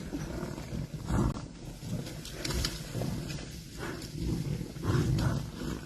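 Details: Lions of Thornybush's prides, April 2025, clashing with buffalo that chase them off after a hunt; deep, rough growling roars come in low bursts about once a second, over rustling and trampling.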